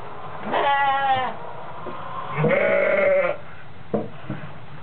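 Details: Newborn twin goat kids on a farm, healthy and mobile, on the day of their birth; two wavering bleats about a second long each, then short soft calls, with a man speaking nearby.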